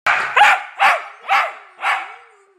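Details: A dog barks seemingly at nothing, giving a run of four sharp, mid-pitched barks about half a second apart; the barks are clipped and forceful, with a faint ringing echo after the last.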